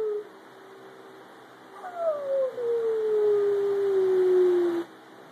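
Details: Pet Chihuahua howling indoors: a single drawn-out, smooth howl that slides slowly downward in pitch for about three seconds, with a steady faint hum underneath.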